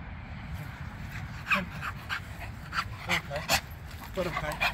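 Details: A Rottweiler doing foundation bite work for personal protection training gives short, sharp barks in scattered bursts over steady background noise and a human voice.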